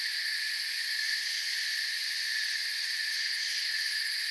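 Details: Crickets in forest surroundings keep up a dense, continuous high trilling, several pitch layers blended into one steady shimmer with light rapid pulsing; no other sounds are clear.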